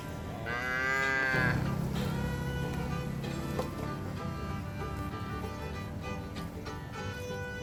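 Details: Free-range cows grazing in green grass fields give an arched, harmonic-rich moo that falls into a long, low bellow, while background music plays throughout.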